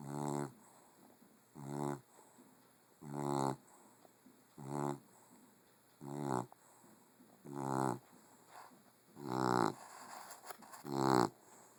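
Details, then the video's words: Female puggle asleep and snoring loudly enough to shake the house. Eight rasping, harmonic snores come in a steady rhythm roughly every one and a half seconds, separated by quiet breathing gaps. "Snoring Puggle"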